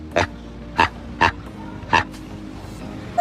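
Four brief, nasal honks from a proboscis monkey come in a quick, even series, each a harsh burst. Faint background music plays underneath.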